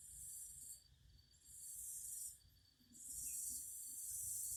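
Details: Cicada song in three loud, shrill buzzing bursts, each lasting roughly one to two seconds and separated by brief pauses, the last burst continuing to the end; faint low hum beneath.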